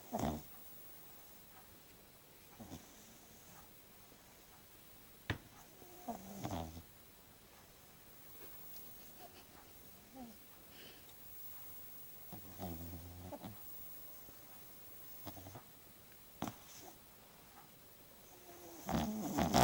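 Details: French Bulldog named Rocco, sleeping and snoring for the first time indoors; soft low rumbling snores in irregular bursts, strongest near the middle and end, with quiet pauses between.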